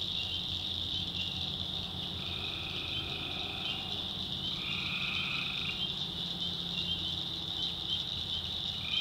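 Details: Night chorus of tree frogs in North Carolina swamp woods, a continuous shrill shimmering wall of calls with two long lower trills in the middle, overlapping one another, and another starting at the end.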